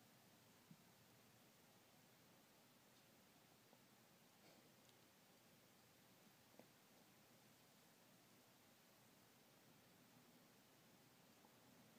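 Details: Near-silent indoor room tone with a steady soft hiss and a few faint rustles.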